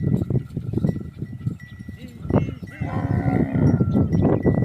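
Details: Herd of Kankrej cattle walking to a nearby pond to drink give a low, drawn-out moo amid steady ringing cowbells and the shuffle of the moving herd.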